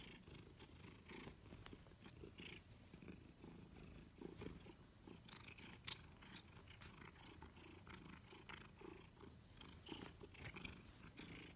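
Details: Close-up cat purr: continuous low vibrating rumble with frequent sharp clicks and brushing sounds across the recording.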